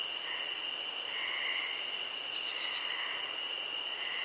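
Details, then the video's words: Crickets in a field setting: a steady, high, unbroken trill layered with shimmering tones that cut out briefly near one and a half seconds and again near four seconds, plus soft, faint chirps underneath. "Cricket Sounds"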